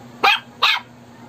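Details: Shih Tzu reacting to a snoring prank with two quick, bright barks about a third of a second apart, over a low steady hum.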